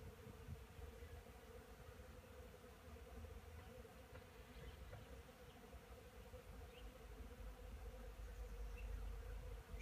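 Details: Honey bees at a wooden hive at 9 a.m., 12 degrees outside with fine weather coming, on 10 March 2015; a continuous mid-pitched drone over a dense low rumble, rising slightly toward the end.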